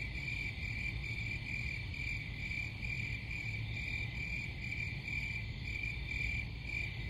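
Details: Shrill cricket chirping repeats in quick pulses without pause, accompanied by a steady low-frequency rumble.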